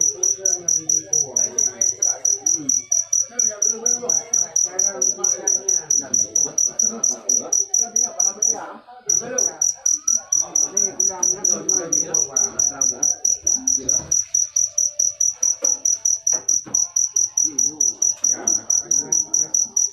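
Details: Continuous high cricket chirping in quick regular pulses, pausing briefly near the middle before resuming, with soft indistinct voices in the background.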